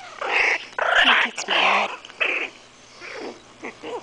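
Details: Louie, a 5-week-old Morkie (Maltese/Yorkie cross) puppy, grumbles and growls in irritation as his back is scratched, giving several choppy, buzzy bursts that fade into softer whimpering sounds toward the end, with quiet human voice nearby.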